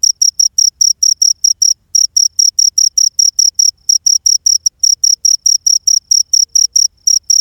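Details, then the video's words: Ghingur insect giving loud, shrill, pulsed chirps, each a short high buzzy burst, repeated steadily about twice a second with a couple of brief gaps; no other sounds. "Ghingur insect sound"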